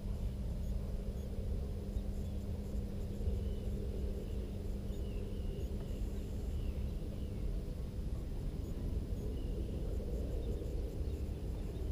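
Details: Steady low rumble of wind and distant traffic throughout, with no clear animal calls.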